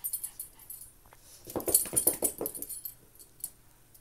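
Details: Maltese dogs playing together: a faint yip, then a low rattling growl of rapid pulses lasting about a second, followed by softer whimpers.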